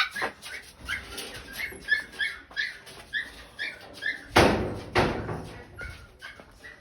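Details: Pigs being fed squeal in a rapid series of short, high, harmonic cries, roughly two to three per second. Louder rustling and clattering bursts come midway, with a faint voice in the background.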